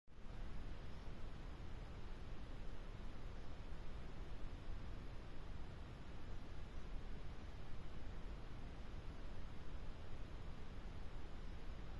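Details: Only a steady, low rumbling background noise is heard, with no animal voice.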